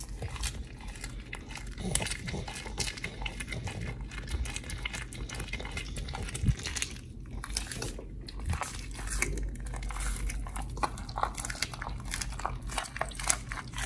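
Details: Oli the pit bull chews a raw meal of fish and steak, recorded August 4, 2023: a dense, steady run of crunching and tearing bites for about fourteen seconds, with small crinkling sounds and a low room hum beneath.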